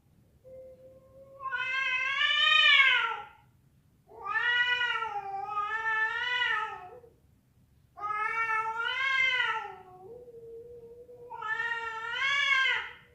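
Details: Domestic cat yowls, described as cats fighting and a female calling a male: four long, wavering, drawn-out cries, each rising and falling in pitch, separated by short pauses over a quiet indoor background.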